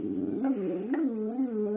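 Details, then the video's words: Talkative pet dog Precious, a female, "sings" indoors: a continuous modulated howl-like whine rising and falling in pitch, with two upward swoops and a steadier wavering tone to the end. "Precious sings and talks!"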